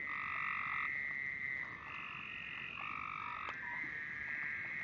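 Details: A chorus of singing frogs holds two sustained, droning trill bands, one high and one lower, that shift and overlap throughout, with a brief knock near the end.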